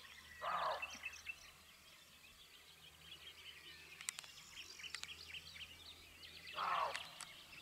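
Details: Female roe deer barking, with a male roe deer present, 16 May 2022: two short, harsh, hoarse barks about six seconds apart, rising clearly above a steady chorus of songbirds.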